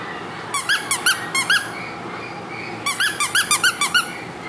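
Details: Tiny, energetic female Maltese puppy in a small room making two bursts of thin, squeaky, rising-falling yips, about six quick notes each, separated by a second of quiet.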